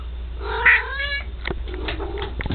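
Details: Pet cat eating ants in a bathtub, uttering one drawn-out, wavering meow that rises then drops, followed by soft clicks and tapping against a low steady hum.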